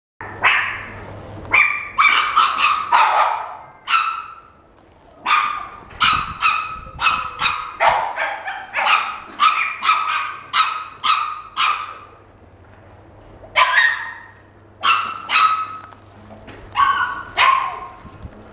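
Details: Young white male Bichon Frise born 14 April 2016 in a pet shop, barking in quick bright yaps, often in bursts of two to four, about twenty barks over the stretch with short quiet pauses between runs.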